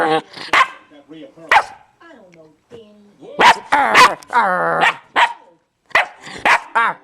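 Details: Play-attacking German Shepherd puppy giving short high barks in bursts, then a longer whining, growly yelp, separated by brief pauses, with a person talking between them.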